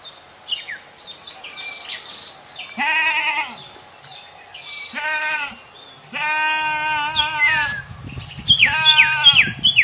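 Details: Free-grazing village goats feeding on wild grass in a grass field; four harmonic, wavering bleats in close succession, with brief chirps of birds and some low rustling noise toward the end.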